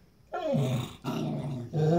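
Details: Pitbull and Jack Russell tussling over a new toy indoors; low rumbling growls start after a short pause, break briefly near one second, then resume louder and steady.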